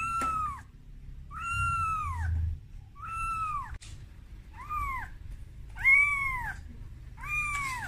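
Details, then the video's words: Kitten crying for its mother, scared on its first time taken out of its room: high arched meows, six calls over eight seconds, each rising then falling, with a low indoor rumble beneath. "Suara Bayi Kucing Menangis"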